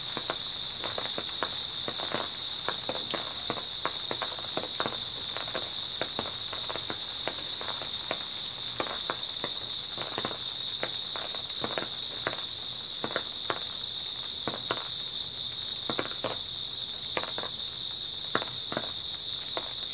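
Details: Grass insects on an early autumn night, a steady high, shimmering chorus of two unbroken pitched bands, with frequent sharp clicks and crunches like footsteps through the whole stretch.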